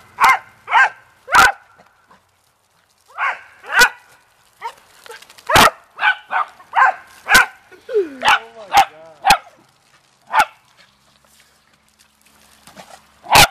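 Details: Family beagles and dachshunds playing in water bark in uneven volleys, quick sharp barks clustered between pauses, with a couple of whining, pitch-bending yelps near the end.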